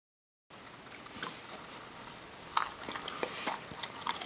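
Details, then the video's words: Parker, a Kerry Beagle, eating almonds indoors; crisp crunching and biting clicks, sparse at first then growing denser and louder toward the end. "kerry beagle eating almonds"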